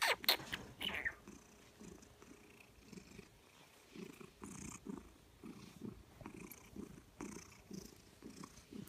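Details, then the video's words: Loud purring from a happy, gorgeous female Maine Coon/Manx mix cat: a low rumble pulsing steadily about twice a second, with brief human speech at the start. "Loudest purring Cat"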